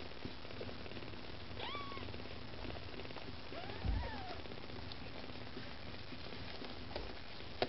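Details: Maine Coon kittens with their mother, domestic, vying for food: a few faint, thin, short meows with a falling tail, scattered over a steady low background hum.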